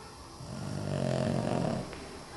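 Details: Sleeping Boston terrier curled up in kids' Halloween costumes gives one drawn-out, low rattling snore lasting over a second, then quiet breathing in a still indoor room.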